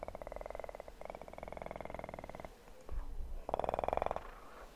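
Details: Close, rhythmic purring from a kitten, fast even pulses in two long runs separated by a short gap, followed by a louder, rougher burst of purring near the end; faint handling noises between.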